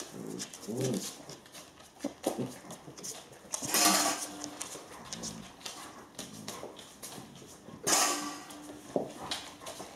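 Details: Eight-week-old Alaskan Malamute puppies active and playing during bad weather; short low growly sounds early on, then two sharp, noisy bark bursts about four seconds apart, with scuffling and room noise between.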